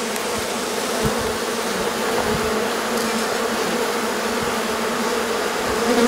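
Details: Honey bee colony swarming on a warm day after a long spell of rain and cold kept the bees confined to their hive; a dense, steady hum of many wings with bands near the low-mid range, continuous throughout.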